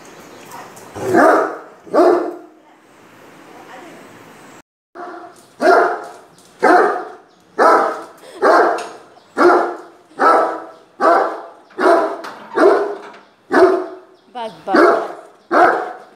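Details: Aggressive Great Dane confronting a stranger, barking steadily: about a dozen deep, forceful barks roughly one per second, with a short silent break near the start between the first barks and the rest.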